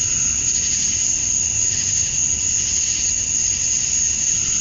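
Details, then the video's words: A summer-dusk insect chorus from Georgia, USA, where male cicadas chirp to draw females: a constant shrill, ringing tone holds level across the whole stretch, backed by a fainter buzzy hum and no breaks. "Cicadas at Dusk, Summer Night"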